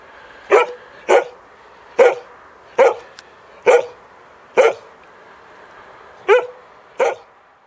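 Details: Samoyed in snowy surroundings barking repeatedly: eight short, punchy barks spaced roughly one second apart with a brief pause before the last two, over light background hiss.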